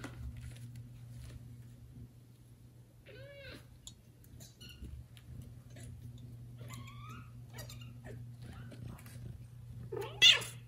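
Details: Domestic kitten, one of four born to mother cat Judy, meowing loudly to call its mother after another cat takes it away; two thin, high meows rich in overtones near 3 and 7 seconds, over a steady low hum, soft clicks and a closing rustle.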